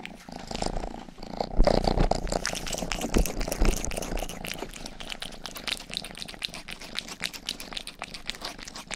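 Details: Pet cat Rang-i, the household's youngest, purring contentedly indoors beside a binaural microphone; a strong low rhythmic rumble, fast and even, overlaid with soft licking and faint rustling.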